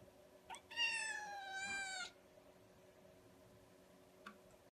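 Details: A kitten indoors gives one drawn-out, clear meow lasting over a second, level and slightly falling at the end, then a faint short squeak later against a quiet background hum.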